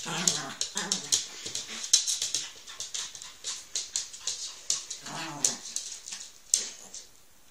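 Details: Indoors, a male Chihuahua named Laric humps his doll with rapid rhythmic panting, a puff every fraction of a second, mixed with faint whiny whimpers throughout.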